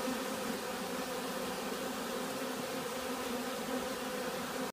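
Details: Continuous massed bee buzzing, possibly during robbing or another agitation, forming an even humming drone that stops abruptly at the very end.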